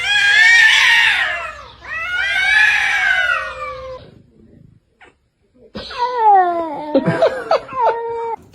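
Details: Domestic cat yowling: two long, loud wailing howls with rich harmonics and a slight rise and fall, a short silence, then a run of shorter, falling meows in quick succession.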